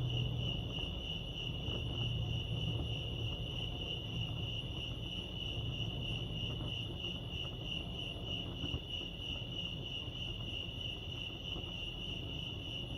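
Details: Steady chirping of crickets in the wild at Lake Arrowhead, California: rapid, even high pulses running unbroken, with a low rumbling hum underneath.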